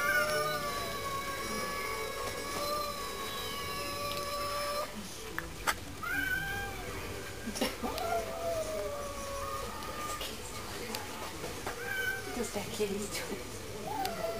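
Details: A neighbourhood bully cat picking a fight with a household cat through a glass door; long, sustained, wavering caterwauling yowls with bending pitch, broken by sharp knocks and shorter moans in the second half.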